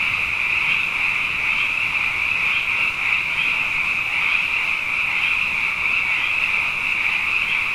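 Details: Many frogs in full night chorus following two consecutive wet years, a continuous bright trilling wall with faint pulses swelling every second or so, steady loudness throughout, nothing else distinct.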